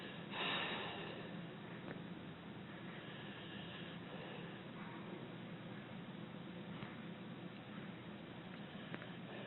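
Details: Abbie, a sleeping six-year-old rescued female American Pit Bull Terrier, snoring and breathing gently indoors; soft, steady low rasping breaths with a louder snort near the start.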